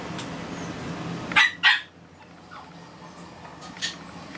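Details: Toy poodle puppy giving two short, sharp high yips close together, followed by a fainter third yip a couple of seconds later, over a low steady room hum.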